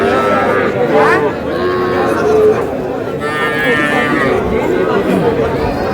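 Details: At a Bangladeshi cattle market in Comilla, small bull and heifer calves low with sustained, even-pitched moos, one long call around two seconds in, over loud overlapping human conversation.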